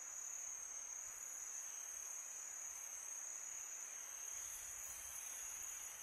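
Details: Crickets at night on a peaceful summer night, a steady high-pitched continuous trill holding one bright tone throughout, with soft hissing wind-like noise underneath.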